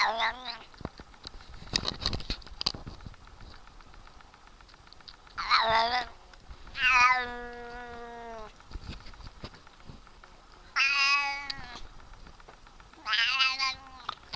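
A Siamese cat gives loud, drawn-out meows, some rising and some falling, with clicks and rustles between.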